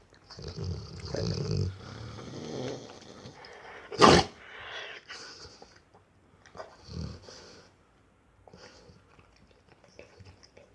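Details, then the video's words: A four-year-old Rottweiler snores in low, rumbling breaths with a sharp snort partway through. "The snoring rottweiler Orson"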